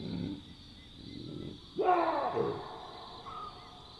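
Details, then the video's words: Chacma baboons at night in the African bush giving a loud, harsh alarm bark, as heard when a nearby predator alerts them. Lower grunting comes first, then the abrupt raspy burst. A constant insect hum sits behind. "Baboon Sounds & Calls - Wild barks and grunts of Chacma Baboons"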